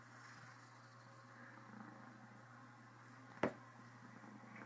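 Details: Criquette, a female Cornish Rex house cat, purring full-on in contentment with a slight case of the hiccups; a soft, steady low purr runs throughout at low volume, broken once by a sharp brief click about three and a half seconds in.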